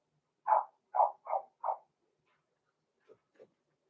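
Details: Six-week-old blenheim Cavalier King Charles Spaniel puppies, Roman and Blue, born November 14, 2022, in an indoor home puppy pen during a live stream: four quick mid-pitched yappy barks, then two faint softer yips after a pause.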